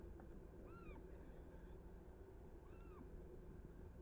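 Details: Roe deer, a kid and a doe chasing each other, recorded 7 August 2024: two faint, thin whistled calls, each arching up then down, about two seconds apart, over constant low rumbling background noise.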